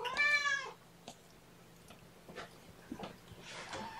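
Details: Domestic cats at Purrfect Pals on 9 October 2018: mama Seraphina, 1.5 years old, and her four young kittens, three boys and a girl, handled at lunchtime. One loud, harmonic meow lasting about half a second, then clicks, rustling and a softer noisy call.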